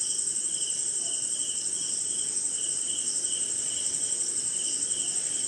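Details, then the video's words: Crickets calling through a rainy night in an Indian jungle, a sustained high buzzy trill over regularly spaced chirps, all set against a constant gentle hiss of rain. "Sleeping Night in Jungle - Cricket & Swamp! Forest Sound"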